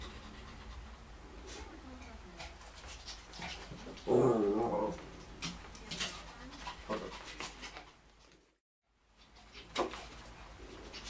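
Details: Lhasa Apso and Shih Tzu dogs playing together: a sudden loud, rough growl bursts out midway, set among panting, scuffling and sharp clicks of play, followed by a brief drop to silence.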